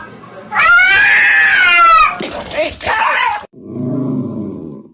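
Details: Domestic cat letting out one long, drawn-out meow lasting over a second that rises and then falls. A harsh, noisy burst and low muffled sounds follow, indoors.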